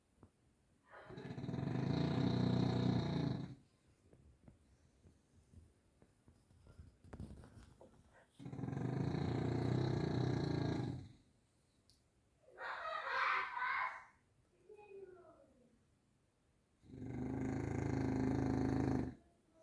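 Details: Grizzly the bulldog snoring: long, raspy, rumbling breaths about two to three seconds each, returning roughly every seven seconds with quiet gaps between, plus one shorter, breathier snort midway.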